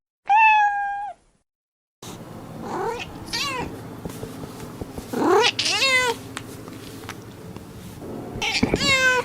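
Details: One clean, level meow from a cat, then a burst of repeated rising-and-falling meows and wails over a busy, hissy background din.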